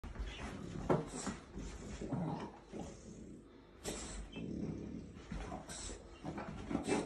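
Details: A French Bulldog, apparently afraid of an orange, gives short, gruff barks and low grumbles in a small indoor room.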